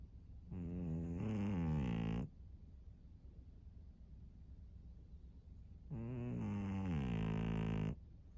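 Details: Pug Maria, an elderly fawn female in Japan, snoring on March 3, 2024: two long, rattling, throaty breaths, each under two seconds, spaced about four seconds apart, with a low background hum between them.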